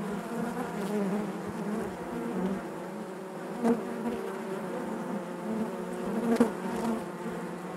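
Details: Inside a honey bee hive: continuous droning buzz with stacked harmonic bands, broken by two brief louder bursts of individual bees passing close.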